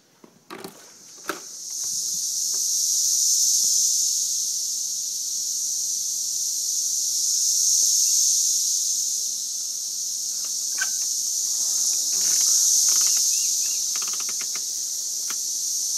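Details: Cicada swarm during a mass emergence in Missouri; dense, steady high-pitched buzzing drone that swells and fades slowly, with a few faint clicks and rustles underneath.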